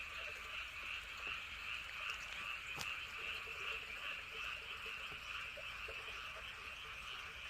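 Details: Night-time frog chorus recorded around Andong's Woryeonggyo Bridge and Hahoe Village, a steady wall of rapid, shrill pulsing croaks with lower, softer croaks mixed in, a sharp click near the third second, and low wind rumble.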